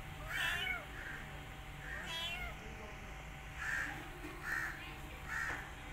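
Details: Rescued mother cat caring for an adopted kitten alongside her own litter; soft, short mewing calls come in irregular bursts, a few with wavering tone, over faint steady hum.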